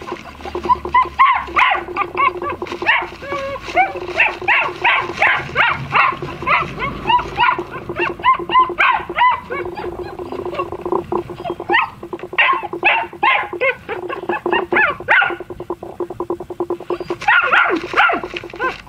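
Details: Brother-and-sister German Shepherd puppies, black and tan, keep up a long run of squeaky whines and yips, dense at first, thinning midway, then a fresh burst near the end over a constant low drone.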